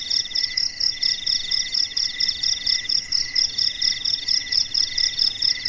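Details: Night-time cricket chorus in the silent dark, high shimmering trills layered in bands, pulsing rapidly and evenly without pause.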